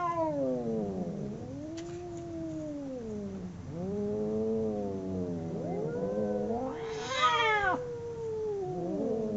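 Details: A pair of domestic cats in a fight yowl back and forth with repeated drooping, moaning howls, overlapping voices, and a sudden shrill, raspy screech shortly before the end.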